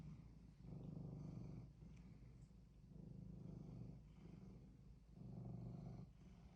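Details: Pet cat wanting something, softer low purr rising and falling in four breath-paced swells, faint small clicks early on, otherwise quiet.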